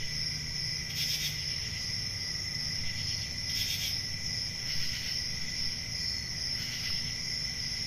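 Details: Crickets on a summer night in a forest, a steady unbroken high-pitched trill with a fainter lower tone beneath, brief broadband hissing bursts roughly every one to two seconds, and a soft low rumble underneath.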